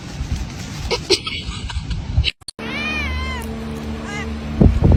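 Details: A cat giving a drawn-out, wavering meow midway, then a shorter meow, with indoor background noise, clicks and a brief cut in the sound.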